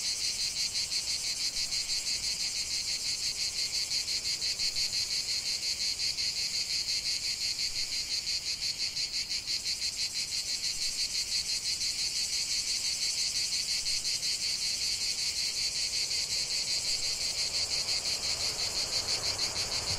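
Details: Cicada song from a lavender field: a loud, high, rasping drone with rapid rhythmic pulsing about three beats per second, continuous for the whole stretch, with a faint soft rushing toward the end.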